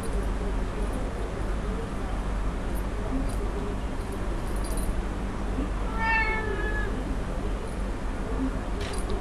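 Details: Young Birman kittens at play, litter of July 2010: a single short, bright meow rises out of constant low indoor hum about two-thirds through, with faint clicks around it.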